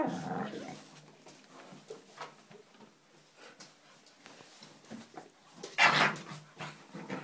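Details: Two Staffordshire Bull Terrier puppies at play indoors: low growly grumbles and soft whimpering noises, scattered and irregular, with one sharp loud yelp-like burst near the six-second mark.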